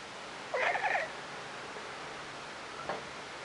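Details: A pet domestic cat making weird noises: one wavering, trilled, chirp-like vocalisation lasting about half a second near the start, followed by near quiet with a faint brief sound later over low steady room noise.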